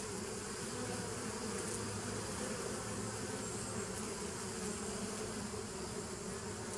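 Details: Steady droning of bees, recorded 27 September 2018; a low hum stacked in several bands with a deeper tone running through the middle, even in volume from start to finish.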